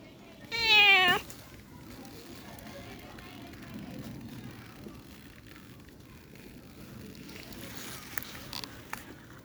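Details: Newly arrived kitten gives one short, high, rising-then-falling meow near the start, followed by a long stretch of quiet room tone with faint background sounds.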